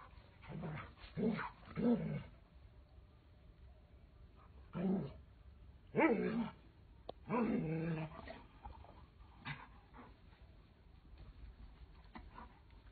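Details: Doberman Pinscher puppy playing with its mother and father at home; short, rough growly bursts and low barks come in uneven clusters, separated by quiet pauses of a second or more.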